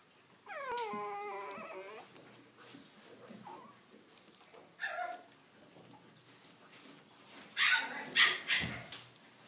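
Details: Poochon puppies giving a long, wavering, harmonic whine that dips in pitch over about a second and a half, followed later by a quick burst of sharp, high yips; small indoor room.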